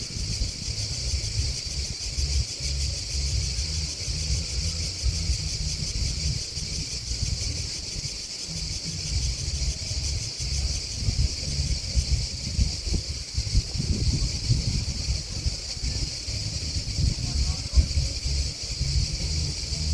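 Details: Steady cricket chirping forms a continuous bright, shrill drone throughout, while a rough low rumble of wind or distant traffic rises and falls beneath it.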